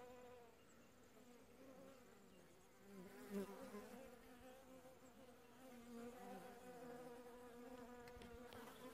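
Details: Western honey bees at a hive entrance doing housekeeping, a colony moved into a new hive the day before, filmed in late July 2015 during winter; a steady, layered hum of many wings with a few louder passes near the microphone.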